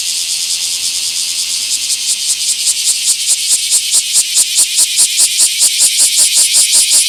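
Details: Singing bear cicada, small park, 24 July 2026: begins as a steady hissing drone, then breaks into sharp rhythmic pulses, about two and a half per second, growing louder toward the end.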